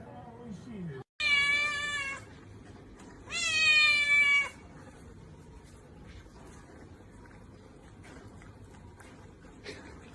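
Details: Domestic cat giving two long, loud, strained meows about a second each, rich and nasal with a slight rise and fall, separated by a short pause, followed by quiet room noise.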